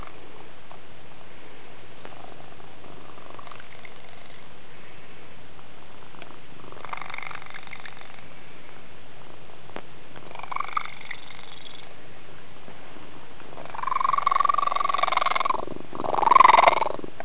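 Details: Tigger, a house cat with a strange-sounding purr, rumbles in a low, rapid, uneven purr throughout, with brief higher wavering vocal tones rising over it near the end.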